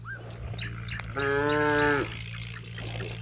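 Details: Cow among hundreds grazing in open paddy fields in the afternoon, calling companions homeward before nightfall; a single steady, harmonic moo of nearly a second amid scattered bird chirps and a continuous low hum.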